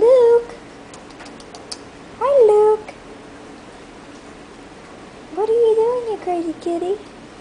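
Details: Bambino kitten named Luke, a hairless short-legged Sphynx and Munchkin cross born at a cattery, gives three tonal meows indoors, each rising then falling, spaced about two seconds apart, with a quiet room hum behind.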